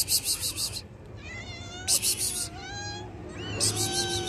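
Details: Hungry cat meowing to ask for food: several drawn-out, wavering meows with rising and falling tones, broken up by harsh, loud noise bursts.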